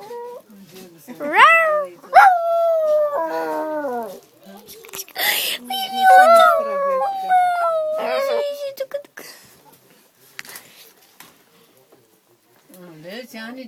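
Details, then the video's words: Dog met on a train, singing: a run of long, wavering howls that rise sharply then slide slowly downward, several in a row over about eight seconds, with people talking quietly before and after. "Singing dog"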